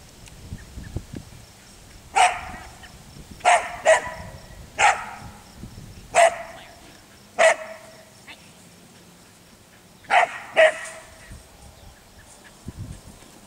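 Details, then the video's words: Belgian Sheepdog Claire barking while herding sheep during a lesson, where she is meant to stay out from the flock and work without barking; sharp single and paired barks spaced irregularly over the clip, with faint rustling in the background. "Claire herding and barking"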